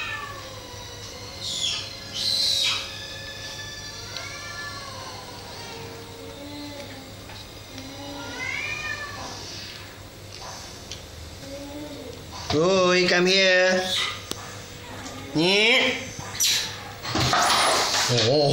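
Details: Kittens disturbed by a cat named Shakinyet while the mother cat calls out; a series of rising-falling harmonic meows, then loud strained wailing cries around the middle and end, with faint background hum.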